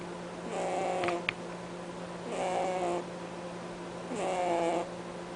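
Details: Pet rabbit named Cadbury snoring in his sleep, a honking sound: three raspy, tonal breaths about two seconds apart, each roughly half a second long, over a steady low hum, with a brief click near the first.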